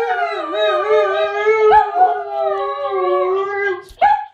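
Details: Howl from a German Shepherd cross Husky, one drawn-out wavering note that dips and rises slightly over four seconds, richly harmonic, ending in a brief upward yelp.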